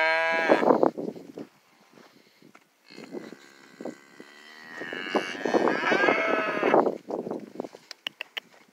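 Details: Charolais calves on a ranch in China, Nuevo León: a loud bawling moo opens, followed by softer knocks and shuffling, then a second long, wavering moo that rises and falls, with sharp clicks near the end.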